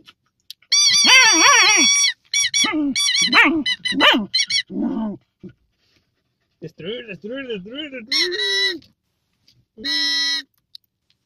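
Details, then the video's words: Fox terrier moaning with long, loud, wavering whines and lower bending groans, some sustained for nearly two seconds, separated by short breaks. "Moaning doggie, fox terrier"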